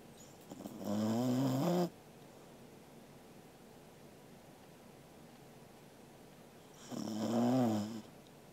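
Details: Angela, a sleeping Corgi dog, recorded 13 August 2021 indoors, gives two long harmonic snores about six seconds apart, each a droning, slightly rising buzz lasting around a second, with quiet room hiss between breaths.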